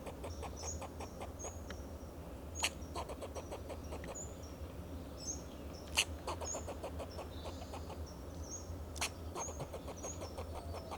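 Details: Fox squirrel on a Monterey pine in Del Monte Forest, California, giving alarm calls to protect itself and its territory: runs of rapid, sharp barking clicks with a few louder cracks, over thin high whistles and a steady low hum.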